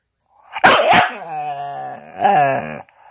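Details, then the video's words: Staffordshire bull terrier chattering: two sharp, noisy yelps, then a long, wavering, harmonic moan that dips and rises, ending with a second bending, whiny vocal phrase. "Chatterbox Staffordshire bull terrier"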